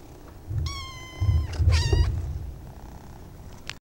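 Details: Little pet kittens: one drawn-out, steady, high meow lasting almost a second, quickly followed by a shorter, strained cry, with low thumping handling noise underneath.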